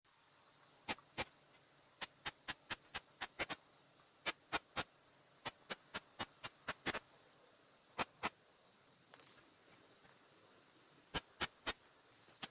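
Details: Tettigoniopsis ikezakii, a Japanese katydid whose ultrasonic song is made audible with a bat detector. Sharp dry clicks come in uneven runs with pauses, over a steady high whine from the detector.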